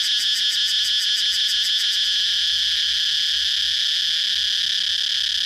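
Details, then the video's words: Cicada singing in a steady, loud high-pitched buzz, with a faster pulsed rhythm layered over it during the first two seconds before settling into a continuous drone. "cicada chirping sound"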